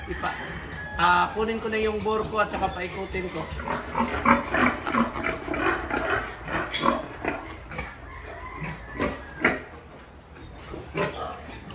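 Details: Pigs on a farm where a large boar is brought out among the sows to see whether a sow is ready for breeding. Rough, rapid grunts repeat about three times a second, with a man talking over them throughout.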